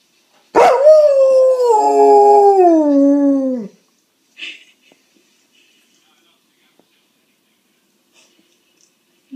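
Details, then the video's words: An Alaskan Malamute, watching a video of a Malamute puppy, gives a single long, wavering howl that slides gradually downward in pitch. "Hudson the Alaskan Malamute howling at Sansa the Puppy"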